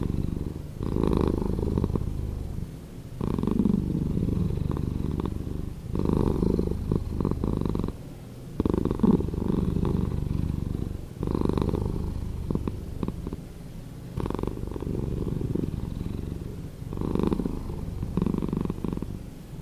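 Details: A cat's purr, edited to play slower, rolls on as a thick bass rumble rising and easing in steady cycles about every two and a half to three seconds, like slow breathing.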